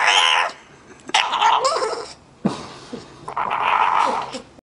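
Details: Bulldog making odd, talkative vocal sounds: bursts of grumbling, groaning noises with strained, voice-like upper tones, separated by short quiet gaps across nearly five seconds.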